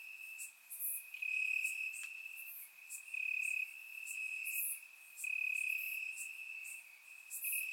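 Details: Warm summer night in Bulgaria with crickets chirping in the grass, recorded with a surround microphone; a sustained high ringing trill pulses louder in stretches while quick bright chirps repeat above it.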